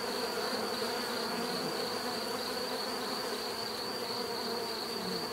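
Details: Natural bee buzzing forming a constant dense hum, low drone bands plus a sharp high whine, level and unchanging across the short stretch.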